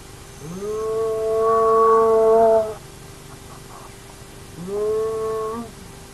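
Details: Hyena of the Naledi clan at an active den: two loud, long tonal calls, the first swelling over two seconds, the second shorter and rising, both with strong harmonic stacks, steady background hum.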